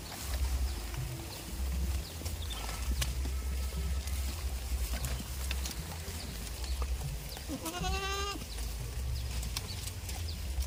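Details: Tame farm goat giving a single short, wavering bleat with a rich harmonic stack near the eighth second, over a steady low rumble of wind or handling noise and scattered clicks.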